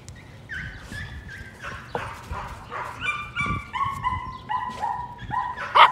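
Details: Excited Patterdale Terrier puppies during rat work in the puppy pen at night, giving a steady string of high whining yelps, each sliding downward, roughly two per second, ending in a louder burst.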